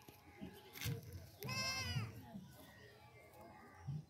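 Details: Baby goat bleating while a human baby plays with it: one long wavering, nasal bleat midway, with voices and scattered handling noises around it.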